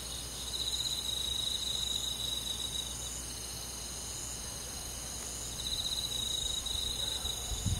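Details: A high-pitched cricket chorus fills a rural summer night: two phrases of ringing trills, early and again after five and a half seconds, float over a soft unbroken insect drone, ending with a faint low knock.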